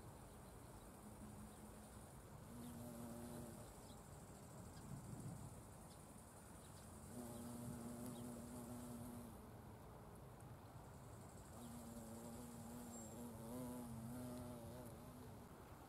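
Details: Wild violet carpenter bees visiting Buddleia, Brown Knapweed and Sweet Pea blooms, recorded unslowed. Deep, humming wingbeat buzz with layered overtones comes in three passes of two to three seconds, wavering slightly in pitch, over low ambient rumble.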